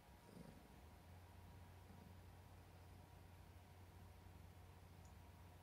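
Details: Affectionate domestic cat that loves its papa, purring indoors: a steady, low continuous rumble throughout, quiet and even, with faint room hiss above.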